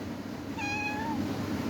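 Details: Adopted pet cat talking: a single clear, drawn-out meow of steady pitch with rich overtones, lasting about half a second, against quiet room background.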